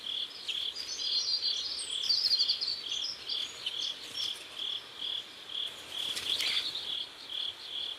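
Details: At a sunset river in South Korea, crickets keep up a high, steady chirp about twice per second, overlaid early by scratchy twittering bird calls and a brief noisy rustle later.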